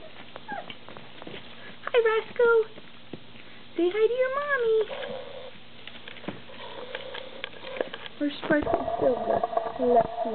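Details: Standard poodle puppies with full bellies after their first gruel, wanting to play: high, rising and falling whines and squeaks in short bursts, with a person talking softly nearby.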